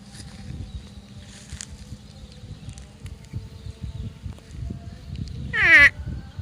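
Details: Water buffalo from a grazing herd giving its 'uwwek' call: a single short, loud, harmonic cry falling steeply in pitch near the end, over steady low crunching and rustling from the grazing animals.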